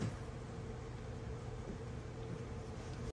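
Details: A faint, steady electrical hum and low background noise run throughout, with no animal sound.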